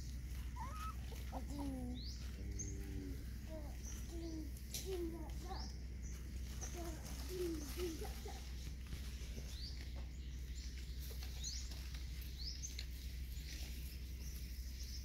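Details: Hungry puppies being fed: a run of thin, wavering, harmonic whimpers and whines in the first five seconds, then a steady low hum with scattered clicks, smacking noises and faint high chirps.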